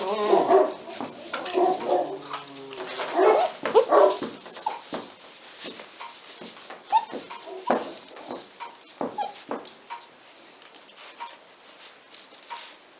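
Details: Pyrenean Mountain Dog puppies, a 46-day-old litter at a breeding and genetic reserve centre in the Catalan Pyrenees, whining and yipping in quick irregular bursts, louder at first then thinning into scattered short squeaks and clicks.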